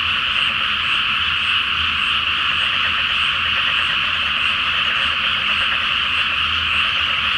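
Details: Frogs in full chorus at night in a flooded Japanese rice paddy before planting, full moon reflected on the water; dense, ceaseless rattling croaks from many callers.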